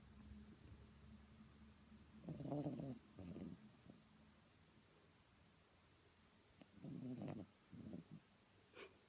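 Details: Sleeping Blenheim Cavalier King Charles Spaniel snoring: two pairs of low, rough snorts, one near two and a half seconds and another near seven seconds, with quiet stretches between them in a calm indoor setting.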